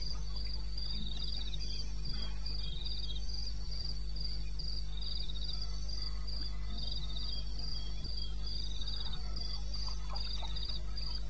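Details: Several crickets chirping in the wilderness of eastern Botswana during the night of 21 May 2016, 02:30. Their sharp pulsed chirps repeat steadily at high pitch, with lower chirping nearby and a persistent low drone.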